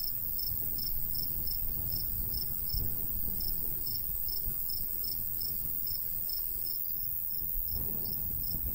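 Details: Cricket heard in the countryside in summertime near a golden wheat field, its sharp, high chirps coming in a fast, regular series, briefly pausing near the end, with breezy low rustle throughout.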